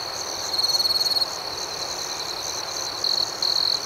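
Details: Crickets at night: a nearer insect gives a rapid, buzzy pulsed trill lasting under a second, then two shorter bursts near the end, over a steady high-pitched chorus of many more crickets.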